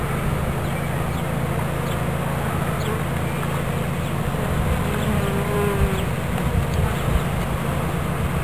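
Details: Honeybee swarm being captured into a new hive body in Watkinsville, Georgia: a dense, continuous low hum with a steady drone band, overlaid by the scattered buzzes of individual bees passing close.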